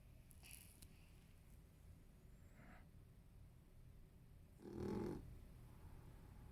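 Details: Marron, a 13-year-old male Toy Poodle, apricot turned gold, with a suspected brain tumor, snoring indoors behind someone editing at a computer. One loud, rasping snore bursts out near the end over a steady low indoor hum.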